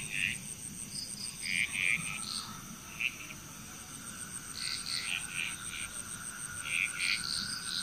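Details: Bali, Indonesia frog chorus, quieter and scattered: short clicking croaks and chirps from several frogs at irregular moments, a thin steady insect buzz and a low hum underneath.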